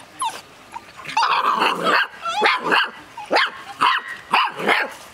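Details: Six-week-old Golden Retriever puppies from one litter, confined in a cage, give high, squeaky yips and whimpers in quick overlapping bursts.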